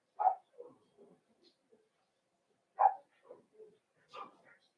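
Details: Cavalier King Charles Spaniels, puppies meeting larger resident dogs in a home puppy pen, December 2022. Two strong barks come about two and a half seconds apart, each followed by softer yips and grumbles, with a quiet indoor background.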